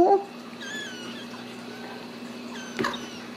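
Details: Home-raised Ragdoll kittens in central Kansas mew in short, high, wavering cries after a brief burst of a woman's voice; a sharp click comes near the end over low indoor hum.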